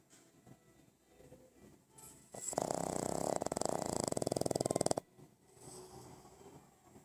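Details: Sleeping pug snoring: one long, loud, rattling snore made of rapid, evenly spaced pulses that last about two and a half seconds, framed by quieter breathing noise before and after.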